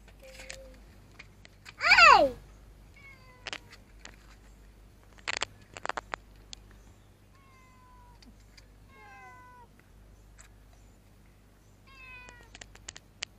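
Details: Grumpy-faced cat found in a motorbike parking lot, afraid of human touch and trying to escape when approached; one loud drawn-out meow sliding downward early on, then several softer, brief falling mews spaced apart, with light clicks and tapping.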